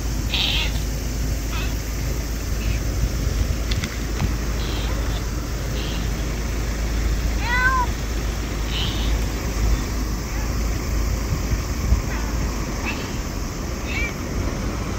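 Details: Small stray black cat at a LAWSON convenience store in August 2024, turning friendly and very vocal; a few short rising-falling meows scattered among steady low traffic rumble and faint voices.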